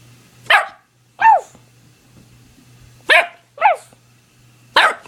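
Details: A 9-week-old American Pit Bull Terrier puppy in a barking contest with its owner: five sharp, high puppy barks in two bursts, some with a falling yelp-like tone, over a low steady hum.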